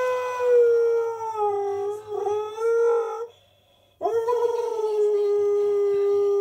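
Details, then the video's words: Male husky making a squeaky entrance before leaving: a long, tonal, squeaky whine-howl with wavering pitch, broken by a short pause, then resuming as a steady, sustained squeal. "Husky Makes Squeaky Entrance"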